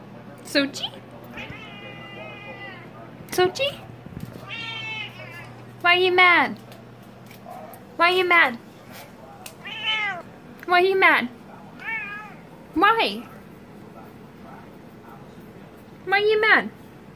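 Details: Siamese kittens meowing loudly and complaining because they are not allowed on the kitchen counter; about nine harmonic, arching meows, some long and wavering, spaced a second or two apart, with a person talking softly between them.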